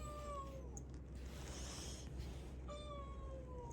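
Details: Indoor domestic cat, a rescued cat, meowing twice: a drawn-out, gently falling meow, a short pause, then a second similar plaintive meow, over a steady low household hum.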